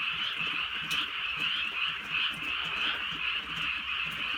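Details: On a drizzly rural night, a crowd of frogs fills the air with rapid, overlapping trilled croaks, a constant bright buzz with small surges, plus a few sharp clicks and quiet rain.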